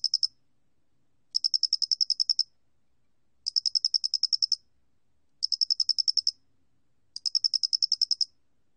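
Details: Korean Loxoblemmus doenitzi cricket (National Institute of Biological Resources, 2020) producing bright, high trains of around ten fast pulses, spaced about two seconds apart, in an otherwise silent setting.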